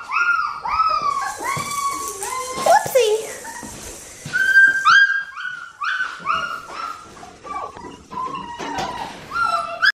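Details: Red merle Australian Shepherd female puppy from Oklahoma whimpering again and again in high, wavering yelps that swoop up then down, with brief murmured human speech and faint background noise mixed in.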